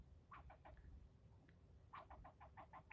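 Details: Squirrel yelling at a person who is filming it during a tirade of nearly ten minutes: two quick bursts of harsh, clipped barks, each run of five to eight sharp pulses, over a low background rumble.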